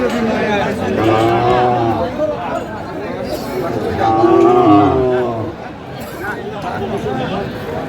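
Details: At a Sylhet cattle market selling Sahiwal bull calves, February 2025, two long, low moos swell and fade a few seconds apart, with buyers and sellers talking prices close by.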